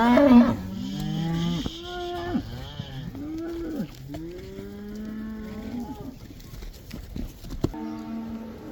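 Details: Black cows in the Netherlands let back into the pasture, the Dutch 'cow dance', produce repeated moos from several animals, some arching up and down in pitch, with a loud call at the start.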